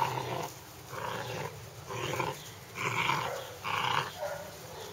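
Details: Hungarian Vizsla puppies giving several whining, whimpering calls in bursts about every second, each a broad mid-pitched smear, with soft growling between them and a steady high hum in the background.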